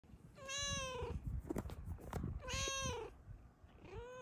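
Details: A female Snow Lynx Bengal cat, lying happily on top of her sleeping owner, gives two clear, drawn-out, downward-sliding meows and starts a third over low rustling; she also purrs, expressing happiness.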